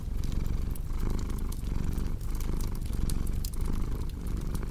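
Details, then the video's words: Short stretch of a pet cat's purr, a throaty drone swelling roughly every second with breathing, accompanied by lively crackling fire sounds. "Purring Cat with Cozy Crackling Fireplace Sound"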